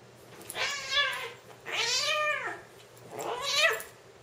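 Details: Two male Siamese cats, a three-year-old lynx point and a seal point of about ten months, fighting or play-fighting indoors: three drawn-out wailing yowls, each rising then falling in pitch, spaced about a second apart.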